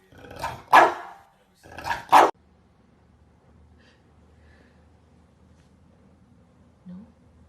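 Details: Barking from English Bulldog puppies: two loud, harsh barks close together in the first two seconds, then a low room hum with a faint brief squeak near the end.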